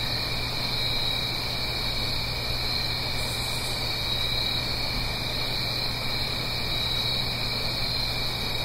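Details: Crickets trilling through an autumn night in the Blue Ridge Mountains, a gentle stream downhill, stereo sound: an even, ceaseless high chorus, light pulsing notes repeating above it, a short faint burst early on, steady low hum below.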